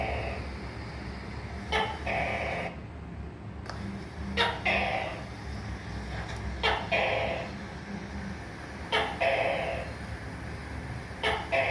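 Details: Gecko calls in a looser rhythm: sharp clicks, some doubled, each followed by a raspy croaking burst, roughly every two seconds. A steady low hum runs throughout and there is one brief silent gap.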